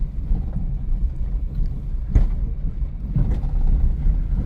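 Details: Low rumbling engine or wind noise dominates throughout, with a few faint clicks and no animal voice.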